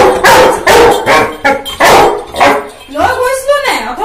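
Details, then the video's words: An 11-month-old Labrador Retriever indoors, loudly arguing with its owner: a run of short, sharp barks and yips at a steady pace, ending in a drawn-out, wavering howl-like whine. "11 months labrador arguing with owner at top of the voice"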